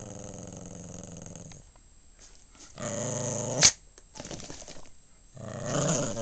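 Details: Household dog, breed unsure, perhaps Maltese or Shih Tzu, giving deep sustained growls in three bursts separated by quiet gaps, with a sharp click partway through.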